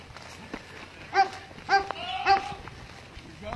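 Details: A very upset goat in Enid, Oklahoma, yelling so that police mistook it for a person calling for help: three loud, nasal, wavering cries about half a second apart, over a faint outdoor background.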